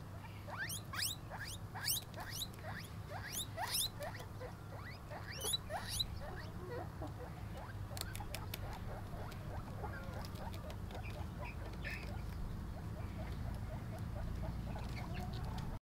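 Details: Pet guinea pig while eating, giving a quick series of short, sharply rising high squeaks about twice a second for the first six seconds, then softer scattered squeaks and clicks over a low steady hum.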